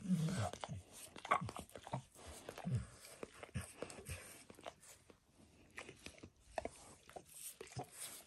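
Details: Indoors, a dog gives itself a bath, licking its paws, then a nearby foot, shin and knee. The wet, slurping clicks repeat unevenly, close to once a second, against a quiet room background.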